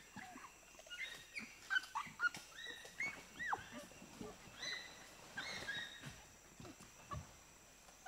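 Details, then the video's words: Four to six pygmy chimpanzees reacting to sugar cane being offered to them; scattered high squeals and shrieks, some sliding upward, overlap at moderate volume with soft rustling beneath. "Pygmy Chimpanzee / Screams & Shrieks As Reaction To Presentation Of Sugar Cane. 4-6 Chimps Shriekin"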